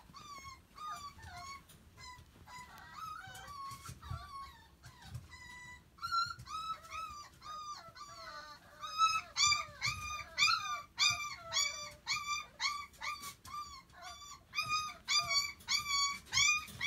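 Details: Lively, friendly puppy wanting attention, whining and yelping nonstop: high, bent, harmonic whines and short yips in uneven bursts, growing louder and denser in the second half.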